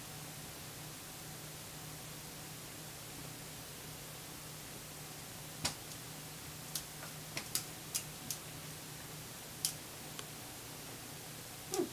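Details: Quiet indoor room hum broken by scattered sharp clicks and taps while a puppy tries to take another dog's food.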